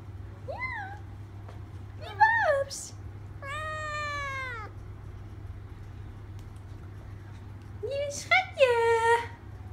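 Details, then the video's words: Traditional Thai Siamese kitten, three months old, indoors, talking back to its owner's voice: four separate meows, rising-falling and harmonic-rich, the third long and drawn out, the last bright and wavering, with a steady low hum beneath. "Siamese (Thai) talking kitten"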